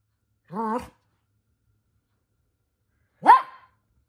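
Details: Minato, a rowdy Toy Poodle soon scolded by his younger sister, gives a short wavering whine, then after nearly three seconds of quiet lets out one sharp, bright bark.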